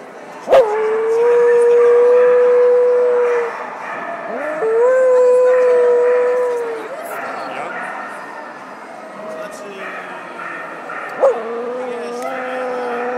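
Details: Tibetan Terrier giving long, steady, howl-like tones: a sharp onset, then a level note held about three seconds and a second held about two seconds, later a softer, lower wavering cry and a final abrupt yelp-like start.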